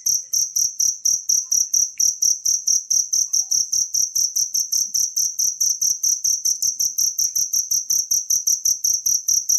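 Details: Natural cricket sound meant as a master recording for songbirds: a rapid, piercing pulsed trill, about four chirps each second, held evenly throughout on a quiet background.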